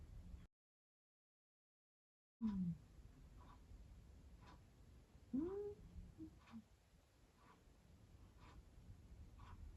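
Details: A cat talks in its sleep: a couple of brief soft mews or chirps, one falling and one rising, amid quiet rhythmic breathing in a small room, with a short silent gap early on.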